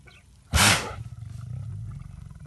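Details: Lion sneezing once: a single sharp, broadband burst of breath lasting about a quarter second, followed by low rumbling breathing and background noise.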